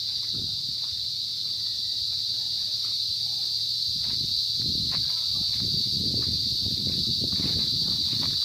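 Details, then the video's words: Insects sounding in the afternoon on a sampaguita farm in Pila, Laguna, Philippines: a steady high-pitched continuous buzzing drone throughout, with footsteps and low rustling handling noise below. "Yan, natunog na po ang mga kulisap. Hapon na kasi tayo ngayon."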